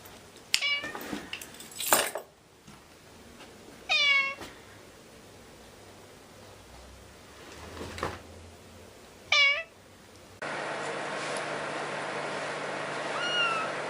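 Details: Cat producing a few curved meows separated by several seconds of quiet, with clicks and handling noise early on and a steady broadband hiss in the last few seconds.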